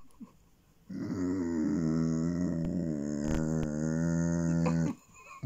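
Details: Basset Hound making pleasure sounds while being petted indoors: one long, low, steady rumbling groan with stacked harmonics, lasting about four seconds before stopping abruptly.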